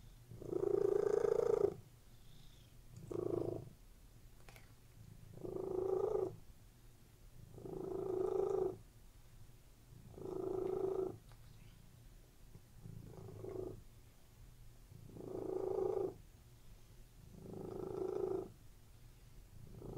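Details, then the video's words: Purring of house cats relaxing on a bed, a steady soft rumble pulsing in regular breaths, about eight inhale-exhale bursts with quieter gaps between them. "CATS PURRING RELAXING CAT VIDEO"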